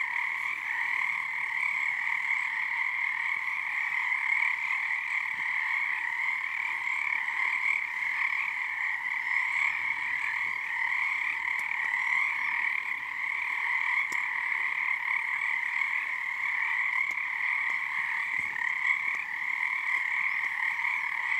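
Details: Long nighttime frog chorus on Harstine Island, Washington, beneath the season's first full moon; a steady wall of rapid, overlapping croaks holding two resonant tones throughout, with a few faint clicks and a brief low murmur midway.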